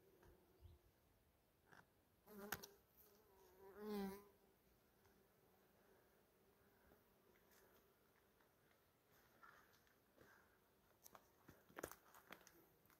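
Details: Honey bees collecting from strawberry tree blossoms: a faint constant hum underlies everything, then a loud close buzz sweeps past at about four seconds with a wavering, rising and falling tone, followed by scattered clicks and brief rustles.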